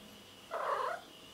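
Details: Pet cat answering questions put to it by a person, giving one clear meow about half a second long, a bright, full, mid-pitched sound that swells and fades, over faint steady room hiss.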